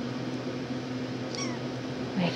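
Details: Brief high falling mew from a 10½-week-old RagaMuffin kitten of the Shrek litter indoors, newly woken, heard amid steady room hum and a woman's chatter.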